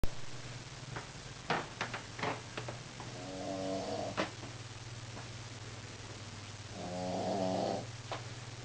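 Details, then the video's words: A Shih Tzu at nap time snores indoors: a few soft clicks and rustles at first, then two buzzy, rasping breaths about four seconds apart over a low steady hum. "GiGi's snoring!"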